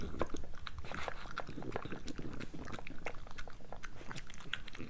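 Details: Pregnant French Bulldog Moolah at breakfast, chewing fast with dense, sharp crunches and clicks in a rapid, nearly continuous rhythm. No other sounds stand out.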